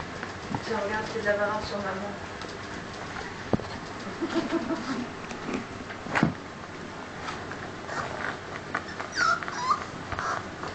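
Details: Cane Corso puppies squirming together with their mother and father, giving thin whining whimpers and squeaks in short rising bursts amid rustling and movement indoors, with some human speech in the background.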